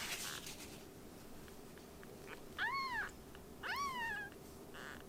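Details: Baby kittens rescued and fostered before adoption, calling with two strong arched meows about a second apart, rich in harmonics, after a soft rustle at the start.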